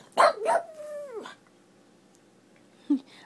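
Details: Female pug giving a weird bark that sounds like whistling: two quick yelps slide into a long, steady, falling whistle-like tone lasting about a second, then a brief yip later; a person's voice nearby.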